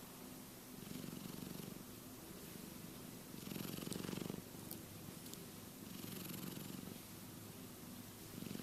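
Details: Dreaming in sleep, the cat Keke gives a continuous low buzzing snore, with swelling breaths roughly every two seconds and a few faint clicks near the middle.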